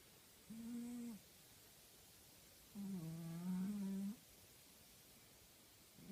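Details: A sleeping female tabby house cat gives two deep, buzzy snores: a short one lasting under a second, then a longer rumbling breath of about a second and a half that wavers slightly in pitch. Quiet room between.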